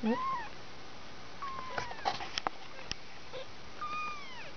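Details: Two-week-old kitten from a litter of five mewing: a short high falling mew at the start, then a longer drawn-out mew near the end, with light clicks and handling noises between.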